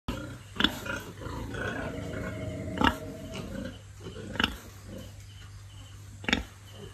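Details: Pigs on a large family farm, raised for sale, make short, abrupt grunts spaced a second or two apart over a steady low mechanical hum.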